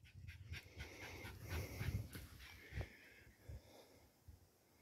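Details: Parson Russell Terrier Lenny, registered as Attractive Aramis of Green Spirits, visiting his new friend Mackie; quick, uneven, huffing breaths with low thumping bursts, about three or four a second, plus faint rustling and handling noise.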